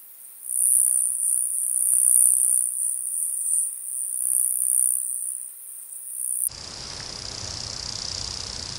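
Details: Pygmy toothed grasshopper, Stenobothrus crassipes, recorded at Fischawiesen, Austria, on 5 August 2022; a sustained high, rapidly pulsing buzz for about six seconds, then a quieter, noisier section.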